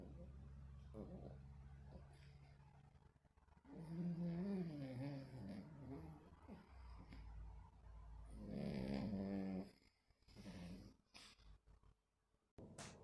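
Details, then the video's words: Sleeping, dreaming dog: a low steady rumbling snore at first, then two bouts of wavering, moaning grumbles rising and falling in pitch, with a short softer grumble afterwards. "Snoring and dreaming dogs"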